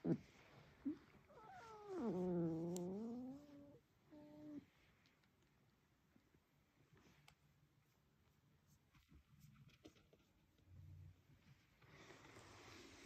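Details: A male house cat making small chirping sounds in his sleep, recorded indoors on October 17, 2021: a soft, wavering drawn-out chirp-like call that bends up and down, then a short quieter note, followed by faint room noise.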